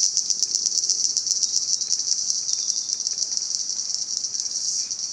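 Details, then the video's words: Cicadas in Salta, a dense, continuous high buzz with a fast rapid pulsing throughout, steady in loudness with slight wavering. "Sonido de las Chicharras"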